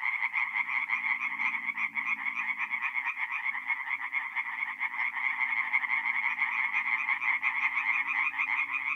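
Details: In a north-east Italian forest pond at night in mid-April, many tree frogs sing together, their rapid rasping croaks merging into an unbroken pulsing chorus.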